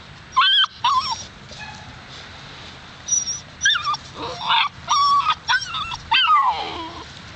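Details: Alaskan Malamute pups at seven weeks whining and yipping: short, thin, high cries that bend up and down, coming in separate bursts of about half a second, about eight in all, one trailing into a falling whine at the end.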